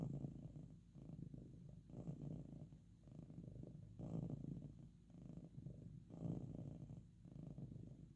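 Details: Sleepy pet cat giving a very loud purr while resting or being petted; steady low rumble with breath-paced swells near every two seconds, no other sounds.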